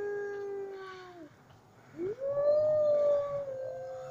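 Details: Gray wolves (Canis lupus) at a zoo in Lincoln howl in long, smooth tones, one sliding downward, then another rising and holding steady.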